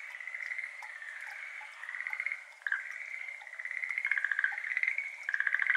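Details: Schlegel's green tree frogs, endemic to Japan, calling at 6:53 pm on 17 May 2022 in a flooded iris garden; overlapping rapid pulsed trills from several frogs, one fading briefly before others resume, with faint water drips behind.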